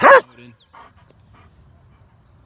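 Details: A single strong bark opens from one of a group of four pet dogs (a German Shepherd, two yellow Labrador Retrievers and a black Lab), then only soft, scattered noises and a quiet background.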